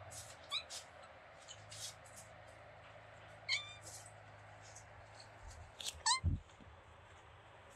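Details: Kitten met while on vacation in Greece, making sweet beeping sounds: three short, high chirping calls spaced a few seconds apart over a steady low hum, with faint clicks between.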